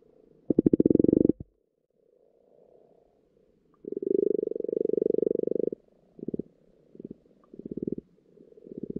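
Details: Underwater recording of frogs in a pond at spawning time: low rapid purring croaks, a loud burst followed by a longer two-second rattling croak and several shorter pulsed croaks, with faint churring chorus in between.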